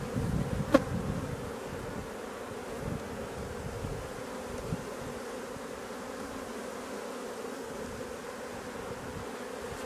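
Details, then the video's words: Steady droning hum of a honey bee colony, one of the drone-laying hives being replaced; a sharp click near the start, then an even buzz with faint rustling underneath. "Remplacement des bourdonneuses"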